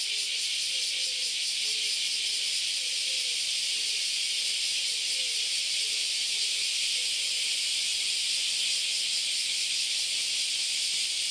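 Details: Kyoto's Philosophy Path on an August Sunday morning, alive with countless cicadas whose massed buzzing makes a continuous high, hissing drone. Faint lower tonal sounds appear in the background.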